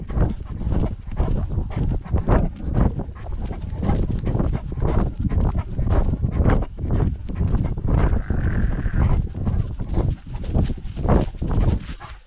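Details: Great Dane on a lockdown dog walk, filmed with a GoPro dogcam: fast, even panting, around two harsh breaths a second, with a brief higher tonal sound in the background and steady low rumble.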